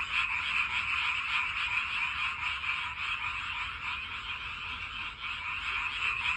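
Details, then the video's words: Frogs heard from a walking path, singing to find mates: a dense, unbroken chorus of many overlapping croaks that forms a steady, bright, buzzing wall of sound with gentle pulsing and no pauses over six seconds. "산책길 개구리 노래 소리 짝 찾기위해 노력하네요"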